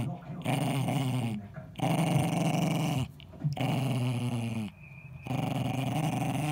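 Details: Eddie, a ten-year-old male Jack Russell Terrier, defends his ball with low, gravelly growls in three long bouts, pausing between them for audible breaths, indoors.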